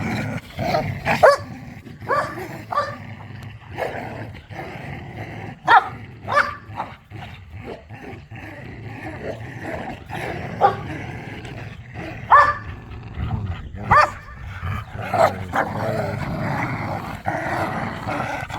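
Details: Pit bulls and a Malinois romping in a yard during tug of war: a steady undercurrent of growling punctuated by short barks and high squeaky-toy squeals every second or two.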